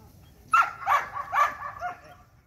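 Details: Belgian Malinois during light training: three short, strained barks or yelps in quick succession, about half a second apart, followed by a softer trailing whine over low background noise.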